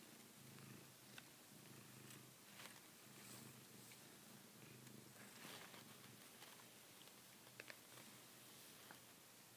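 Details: Savannah cat biting a favourite blanket indoors as if gripping a female cat's neck; soft low purring rumble in the first half, fading under rustling, with faint clicks and handling noises.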